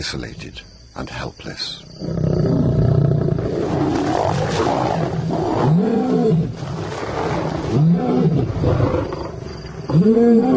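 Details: Roaring by two intimidating newcomer lions on the resident Simba's turf, meant as an insult to the territory holder; a long low rumble gives way to short rising-and-falling grunts about every two seconds.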